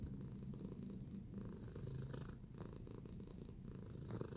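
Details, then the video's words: Relaxed house cat in a kneading mood, purring in a low, even rumble throughout, with light scratching or rustling sounds and brief higher crackles. "Tacy Cat in a Relaxing Kneading Mood"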